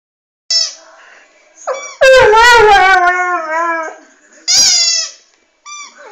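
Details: Airedale Terrier named Delta unexpectedly breaking into song: short yips, then a long wavering howl sliding downward for nearly two seconds, followed by further brief yelping cries.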